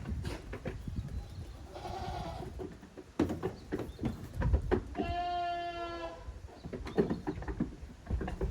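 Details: Playing goat kids in the exercise yard of a handmade goat farm in Japan, recorded 30 April 2023. A faint, muffled bleat comes first, followed by a clear, drawn-out nasal bleat, with persistent thudding and scraping throughout.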